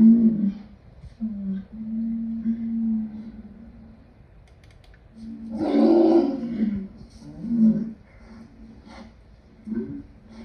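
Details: Lion giving low, drawn-out moaning tones, then a loud, rough roar building near the middle of the clip, followed by shorter grunting moans that fade toward the end.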